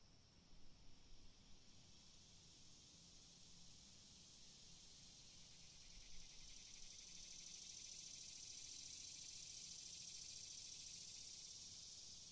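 Cicadas fill the air with a continuous, high, hissing buzz that swells in strength.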